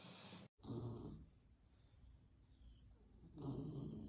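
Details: Sleeping bulldog, worn out and napping, snoring heavily: a harsh, throaty snore, a brief cut, another rough snore, a quiet gap of soft breaths, then a further rasping inhale.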